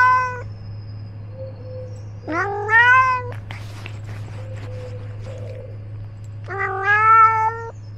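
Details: Male pet cat named Ros, filmed from his own collar camera while out exploring. A short meow opens, then a longer wavering meow, a quiet stretch with soft rustling, and a final drawn-out meow over a steady low hum.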